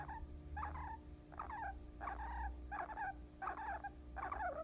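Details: Guinea pig dozing on someone's lap, making six spaced bursts of soft chattering squeaks, each under half a second, repeated roughly every three-quarters of a second, with low background rumble.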